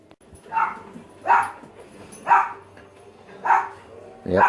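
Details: Dogs barking in the background of a room where a pet African grey parrot is kept, a steady series of five barks about one second apart, with faint indoor background noise.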